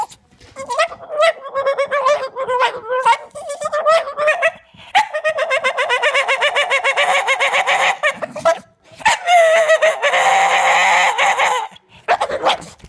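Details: Staffordshire Bull Terrier, keen to play, 'explaining' in long wavering whines and groaning yodels, rising into a strained, noisy howl-like stretch near the end, delivered in quick, talk-like phrases.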